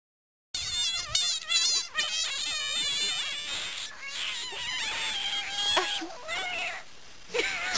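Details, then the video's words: Frog squealing: loud, high, harmonic-rich wails and shrieks, wavering and sliding in pitch, sustained almost continuously with brief breaks, then a person's voice after. "Squealing Frog"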